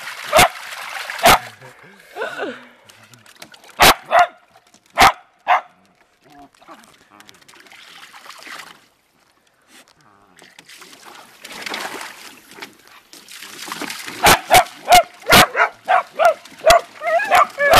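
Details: Beagle and Dachshund family dogs, a mother with her young Rocko and Gizzmo and a red Dachshund father called Zeenie, playing in water: sharp single barks in scattered bursts, then a quick run of repeated barks near the end, with splashing and human voices.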